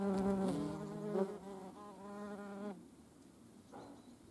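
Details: Wingbeat hum of a European hornet alongside median wasps: a strong, low droning buzz with layered overtones that wavers in pitch, then fades away after about two and a half seconds, leaving quiet background.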